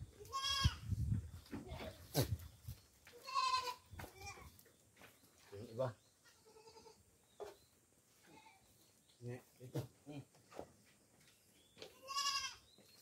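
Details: Goats kept as farm animals, being fed coconut pulp: several nasal, wavering bleats rise and fall between stretches of a man talking, with clicks and thuds around the pen.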